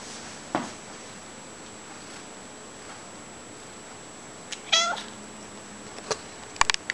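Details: Domestic cat following its owner indoors, giving a short harmonic meow near the five-second mark among faint clicks and footstep-like taps in a quiet room.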